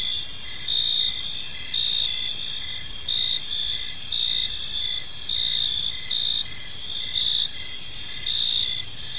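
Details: Evening park chorus of crickets: layered high, ringing chirps repeat in regular pulses about once per second, several insects overlapping over a soft, low ambient rumble.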